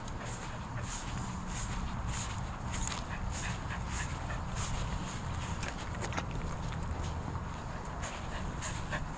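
A corgi gives quick, repeated yips and whiny barks as a greeting.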